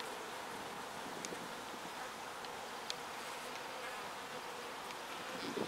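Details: Foraging bees bringing pollen home to the hive produce a constant wing buzz, a smooth mid-pitched hum that swells slightly at the end, with scattered faint clicks.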